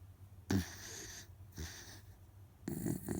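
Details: Otofu, a rescued Miniature Dachshund sound asleep and tired, lets out loud snores: a sudden rasping snort, a shorter wheezing breath, then a rattling, rumbling snore at the end, all within a few seconds.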